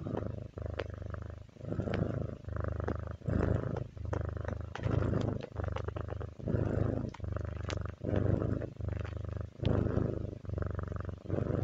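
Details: Kitty purring contentedly indoors, a deep vibrating drone that swells and fades with each breath in regular rounds of roughly a second, punctuated by soft ticking noises.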